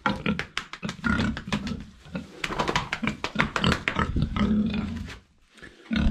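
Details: Domestic pigs penned indoors, called friendly by the farmer, who says they have made a mess; dense, overlapping low grunts and snorts pour out almost continuously for several seconds, then briefly pause before resuming.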